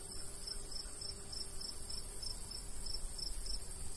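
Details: Crickets in a golden wheat field in the summer countryside, with a light breeze: short high chirps repeat steadily about three to four times a second over a soft low rush of wind.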